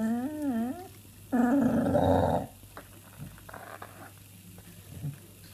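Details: Pet dog making strange noises: a wavering, up-and-down whining howl, then a loud rough growling moan for about a second, followed by quieter snuffles and faint whimpers.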